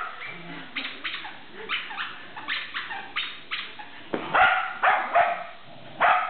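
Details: Shetland Sheepdog barking while playing tug, a string of short sharp barks, softer at first then louder clustered yaps in the last seconds, with faint household noise.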